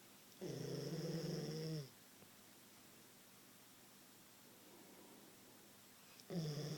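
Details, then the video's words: Snoring Queensland Koolie dog, asleep in a room: one long, throaty, vibrating snore of about a second and a half, a quiet stretch, then the next snore starting at the end. "My Koolie snoring"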